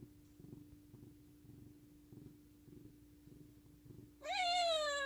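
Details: Affectionate pet cat: soft faint rhythmic rumbles, then a loud meow near the end that starts high and slides downward, steady low hum throughout.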